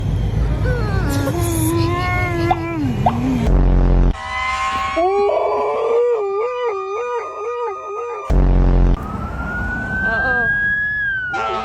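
Dogs howl along with a wailing siren, their voices wavering and sliding over the siren's tone.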